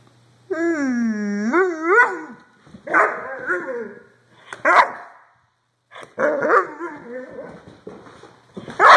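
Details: Doberman giving a long, wavering, high whining howl that bends up and down, followed by a run of harsh, rough barks and yelps, with a quiet low hum underneath.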